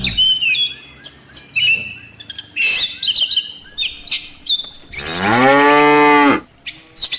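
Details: Bright, varied birdsong chirps through the first seconds, then one loud, prolonged moo from a tame village cow in a herd walking back to its farm pen in the late afternoon in Indonesia.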